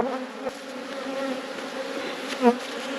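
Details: Honey bee colony droning in a bee yard while frames are inspected, a sustained layered hum with stacked tonal bands, one short louder swell near the end and a faint knock early on.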